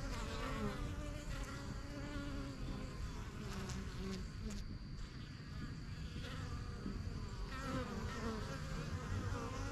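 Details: Honey bees flying in and out of a strong yellow backyard hive, first hives started in spring 2023; steady low droning hum with passing louder buzzes of individual bees, faint high tones and occasional clicks.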